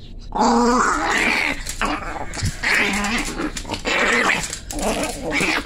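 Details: Chihuahua. A small dog barks in sharp, high-pitched bursts, each one ragged and growly, coming roughly every second or so. The tone is tense and aggressive, with brief pauses between volleys.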